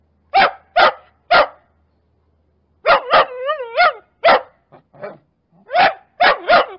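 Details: Angry, loud barking from a domestic dog in a compilation of breeds: sharp single and paired barks separated by gaps, with a brief wavering whine-like howl in the middle.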